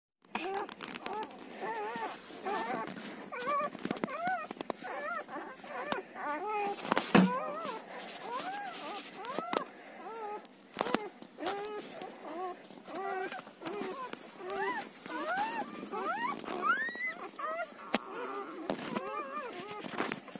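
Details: Newborn Siberian Husky puppies, between one and ten days old, indoors, several pups squealing and whining at once in a dense overlapping chorus of short rising-falling cries, with rustling and handling noises throughout.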